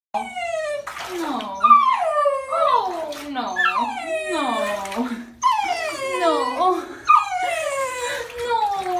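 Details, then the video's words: A husky puppy howls in protest during his third shower, giving a string of wavering, yodelling howls with pitch sliding up and down, crying and screaming throughout. "Husky hates shower, howls in protest"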